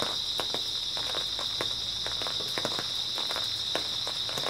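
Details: Grass insects trilling steadily on an early autumn night, their high, even drone constant, with scattered crunching steps and light rustling in the foreground.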